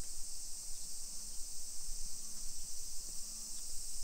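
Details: Summer cicadas in a hillside residential suburb of Nisshin city near Nagoya, Aichi Prefecture, Japan, at 1 PM on 28 July 2021: a steady high hissing drone, unbroken throughout, over low rumbling street noise and faint low hums.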